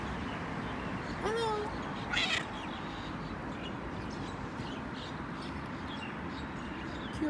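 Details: Friendly feral cat outside, one short bent meow early on, then mostly steady background noise with a brief burst of human voice.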